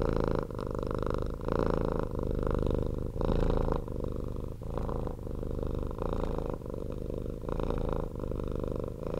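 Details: Loud purring from a domestic cat rescued off the street, recorded close up indoors; a low, motor-like rumble in steady rhythmic pulses with brief pauses between breaths.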